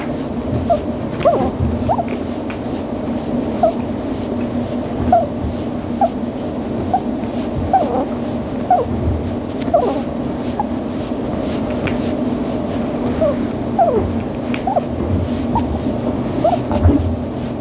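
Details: Chinchilla (Chinchilla lanigera) giving soft, short, squeaky cooing calls again and again over a low indoor hum, cooing while being petted and fluffed; the household has a 5-month-old cinnamon female and a 5-month-old grey male.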